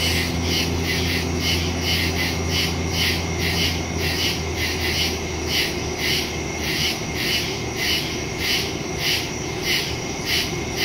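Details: Crickets singing in the woods at night, September 2, 2023, captured on a Samsung Galaxy S22 Ultra with a Shure MV88+ mic: high pulsing chirps near twice per second, with a low rumbling hum for the first six seconds.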